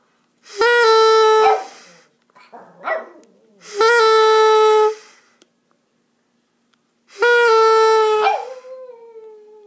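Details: A dog "singing" gives three long, steady, mid-pitched howls, each ending with a short downward slide.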